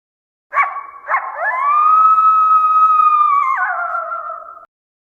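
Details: Coyote giving two short yips that lead into a long, steady, pure howl held for about two seconds, then dropping in pitch and fading out, clean with no other sounds.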